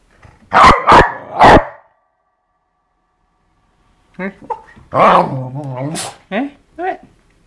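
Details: Dog named Eva at play with a skateboard gives three rapid, punchy barks, then a pause, followed by a mix of short vocal sounds and a longer wavering harmonic tone, possibly speech.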